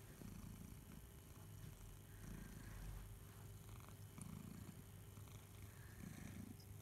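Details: House cat Barnaby, suckling his beloved teddy bear Boo, gives a quiet, low purr that swells in regular waves about every two seconds, with light clicking and a faint tick.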